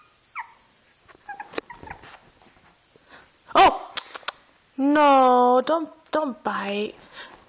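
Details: Six-month-old Shih Tzu named Oreo trying to play with a two-month-old Shih Tzu puppy indoors; drawn-out harmonic whines and yelps near the end, after a person speaking and soft scuffling.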